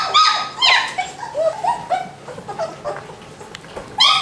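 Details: German Shepherd puppies from a breeding litter in a kennel. They give high, overlapping whines and yelps, several short rising-falling cries in quick succession that fade in the middle and burst loudly again at the end.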